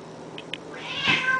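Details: Domestic cats Honey and Lowell in their daily fight: a couple of short soft clicks, then a rising harsh, noisy yowl or hiss building loudly toward the end.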